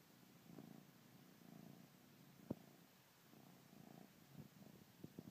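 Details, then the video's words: Bengal kitten purring while nursing on his blanket, a quiet low rumble in pulsing bouts with soft suckling sounds and one sharp knock midway. "Bengal Kitten Nursing His Blanket"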